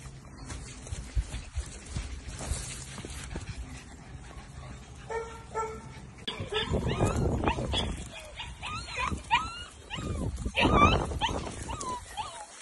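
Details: English springer spaniel puppies, nearly two months old, playing together; quiet rustling at first, then bursts of high, bending yips and squeaky whimpers crowding over each other, with thumps and scuffling underneath.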